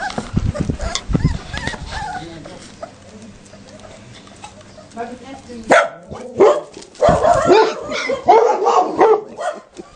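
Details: Adult Leonbergers barking while Leonberger puppies, outdoors for the first time, panic; a few low barks at the start, a quieter stretch, then a burst of sharp barks and yelps over human voices.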